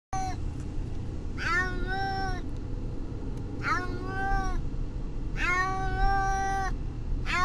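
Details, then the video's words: Brutus the Beefcake, a pet cat riding to the vet, distressed: three long, drawn-out harmonic meows, each about a second, rising then falling, spaced roughly two seconds apart over a steady low engine rumble. "Brutus the Beefcake....the talking cat!"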